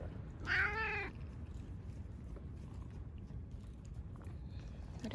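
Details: Timid ear-tipped TNR cat sheltered in a bathroom from a September 2020 typhoon in Okinawa gives one short rising-falling meow, then quiet room noise and a woman's voice.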